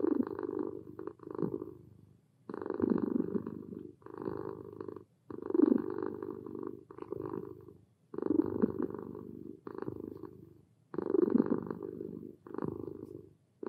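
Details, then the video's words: Relaxed domestic cat purring steadily, a low rumbling buzz swelling and fading in phrases about every two and a half seconds, each with breathing pauses, indoors in a quiet room. "Sweet Cat Purrs Relaxed Kitten Purring"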